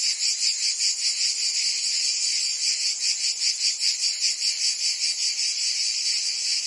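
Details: Cicadas in summer in Provence, France, keep up a continuous high-pitched rasping hum, pulsing quickly and evenly.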